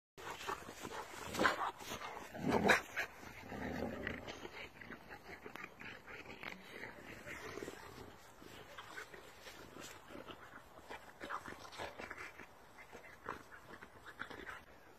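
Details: Boxer dogs and an American Bulldog at play, rough growling and a few sharp bark-like bursts early on, then quieter scuffling, panting and mouth noises as the game continues.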